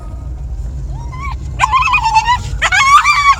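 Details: Ziggy, a Jagdterrier, gives a brief rising whine, then two drawn-out, high-pitched tonal yelps, each nearly a second long and bending upward at the end, over a low steady rumble.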